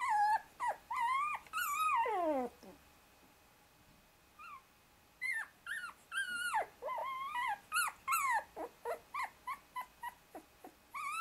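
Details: Young Shiba Inu puppy, 24 days old, trapped beneath his two sisters and straining to get free; squealing whines and one long falling cry, a quiet pause, then a quickening string of short, sharp yelps.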